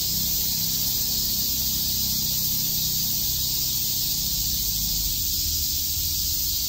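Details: Cicadas in Shakujii Park, Tokyo, chirping on a summer day: an even, high hissing drone sustained without breaks, layered over a faint low hum and some soft distant rumble.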